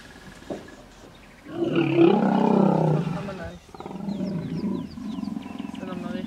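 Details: Hippopotamus stand-off in the Vurhami River, Kruger National Park, South Africa: a female defending her young against an approaching animal. A loud, harsh roaring bellow lasts about two seconds, followed by lower rumbling grunts, with faint bird chirps above.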